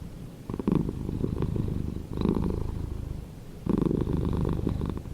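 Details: Pet cat purring up close, a deep buzzing rumble rising in three louder surges over a few seconds, otherwise quiet.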